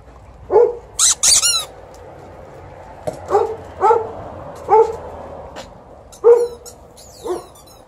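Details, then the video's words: TJ, a 12-year-old Golden Retriever who wants to play fetch after the morning walk, gives a series of irregular mid-pitched barks. Sharp high squeaky sounds appear early, and an Alaskan Malamute shares the ball time. "12-yo Golden Retriever also wants to play fetch and he lets me know"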